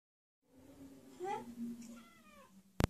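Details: Hungry pet cat, a female, meowing while leading her owner to her favorite food indoors; a short rising-falling meow followed by a softer drawn-out mew, ending with a sharp knock.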